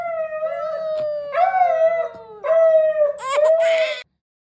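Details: Pet Siberian Husky joining a mother's singing to her newborn; sustained smooth howls repeated three times, each holding a level tone then easing down in pitch, with human voice blended in and a short rough noise near the end.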